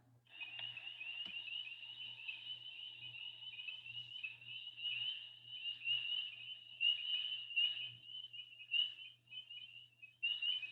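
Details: Spring peepers (Pseudacris crucifer), early-spring callers active in cold weather in the southeastern US coastal plain, give high, clear, slightly rising peeps that overlap into a shrill chorus.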